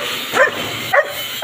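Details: Rottweiler or Belgian Malinois dog being bathed gives three short, rising whimpering yelps about half a second apart over a steady hiss of running water.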